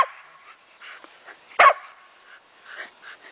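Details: Shetland Sheepdogs at play outdoors, several females chasing, one heavily pregnant; a single sharp bark rises above soft scattered yips and whines, with a person speaking nearby.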